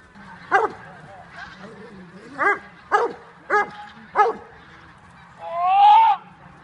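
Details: Almost five-year-old Dobermann, Jovanotti Unreachables, in bite training, October 2015: several sharp separate barks spaced about a second apart, then a longer rising whine-like yelp near the end.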